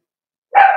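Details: Four-week-old Cavalier King Charles Spaniel puppies in a home puppy pen, meeting other dogs and trying puppy mash; one short, steady, tonal yelp starts after silence and holds briefly, easing slightly in loudness at the end.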